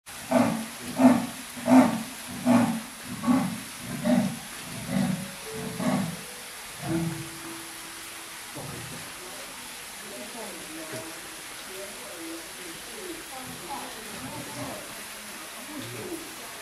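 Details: Leopard roaring on 9 December 2017: a rasping, sawing series of about nine deep grunts, one every 0.7 seconds, slowly fading, then quieter mixed background sounds for the rest.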